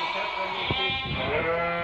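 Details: Merino sheep intended for import from Hungary, with a buyer from Turkey choosing animals; continuous overlapping bleats, nasal and tremulous, from several sheep at once, with thuds and shuffling below.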